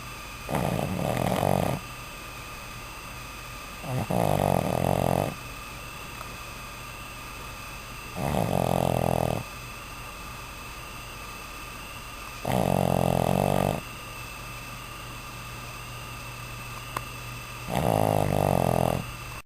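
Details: A Boston Terrier puppy snores loudly in rough, rasping bursts, one drawn breath about every four seconds. Boston Terrier.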